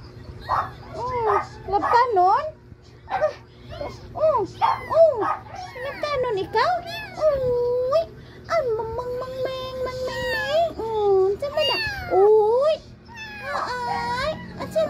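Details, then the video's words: Three small kittens mewing almost nonstop, with quick high arched cries and a few longer drawn-out wails, crowding over one another while people chat in the background. "3 little cute kitty"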